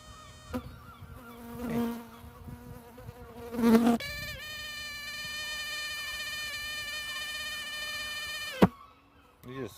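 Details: A Syrphus hoverfly in Scotland sits on a camera after landing and makes a strange, steady, droning buzz rich in overtones for about four and a half seconds, cut off by a sharp click, with rustling before it.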